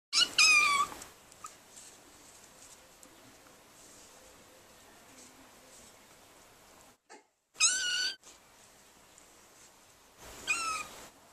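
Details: A six-week-old female kitten, a very vocal one, gives three high, squeaky, toy-like meows while playing with her brother, each brief and separated by several seconds of quiet.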